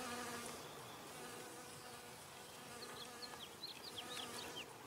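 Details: Humming of a honey bee taking nectar from flowers: a continuous low buzz with layered tones, joined in the second half by a string of short descending bird chirps.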